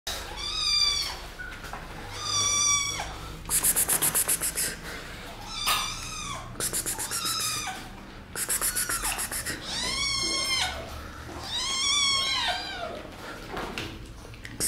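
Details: Kittens meowing while attacking; repeated high arched meows roughly every one to two seconds, rising then falling, with bursts of rapid clicking or scratching between calls.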